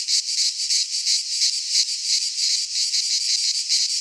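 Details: Midsummer chorus of cicadas in a pine forest in Greece, a loud unbroken rasping drone with rapid rhythmic swells roughly three per second.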